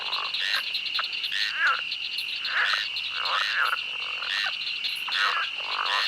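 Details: Frogs in a swamp croak in bursts of rough, warbling notes over a steady high hum of chirping insects.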